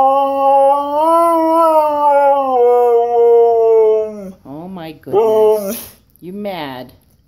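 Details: Koa, a Siberian Husky, whining and complaining because he wants to go for a walk: a long, sustained, tonal moan that swells and sags over about four seconds, then three short, rising-and-falling yowls separated by brief pauses.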